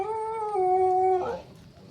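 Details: Talkative Belgian-Labrador mix dog giving a sustained, tonal, whining howl that holds level for over a second, then breaks downward into a rough, falling end, in a small indoor room, followed by quiet.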